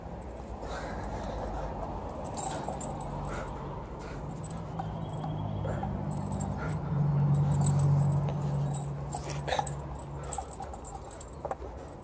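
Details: Female Alaskan Malamute playing tug-of-war with her favourite toy, giving a low, steady growling drone that swells louder midway, then fades, over rustling and small knocks from the play.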